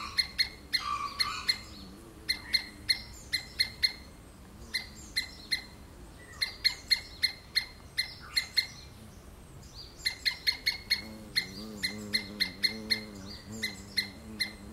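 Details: Screaming squirrel gives a long run of short, sharp calls in quick uneven bursts, sometimes several per second, with a low buzzing hum rising in the background toward the end.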